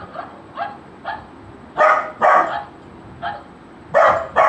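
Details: Golden Retriever puppy reacting to the sound of barking, with quieter short barks spaced half a second apart and two pairs of loud, sharp barks breaking in between them.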